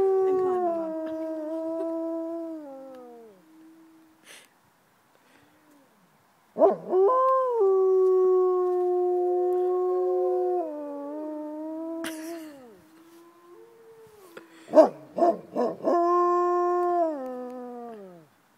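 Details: Gray wolves kept at Como Zoo, St. Paul, give long smooth howls: a held tone sliding gently downward, a pause, a new howl rising then falling, and a final howl ending in a downward slide; faint yips between.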